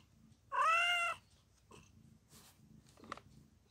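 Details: During the birth of four kittens, the mother cat gives one clear, slightly wavering meow lasting about half a second, followed by faint clicks and rustling in a quiet indoor space.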